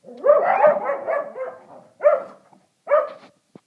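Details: Shelties worked up over a squirrel give a quick run of high, yelping barks blending together, followed by two separate short barks after pauses of under a second, against a quiet background.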